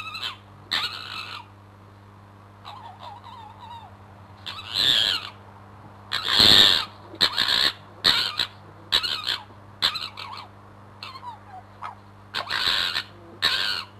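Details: Fighting fox, Crooked-Tail, under a bedroom window: repeated raucous screams and gargling cackles roughly every second or two, with quieter wavering whines between bursts, over a low continuous hum.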